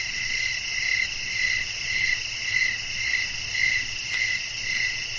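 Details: Crickets chirping in a nighttime natural setting with wind blowing, a steady high-pitched trilling chorus that swells and pulses roughly twice a second, layered bright tones over a faint low hum.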